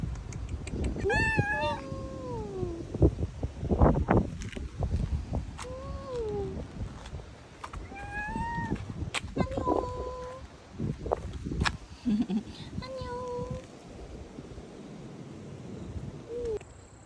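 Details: Cat met in an autumn forest on Jeju; a series of drawn-out meows, each sliding down in pitch, spaced a few seconds apart, over low rustling and handling noise.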